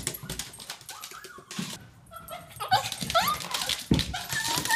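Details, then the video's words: Japanese Chin dog named Gigi, excited at seeing its owner for the first time in months, gives short high whimpering squeals and yips that rise and fall, mixed with rustling and handling noise indoors. "My dog is excited"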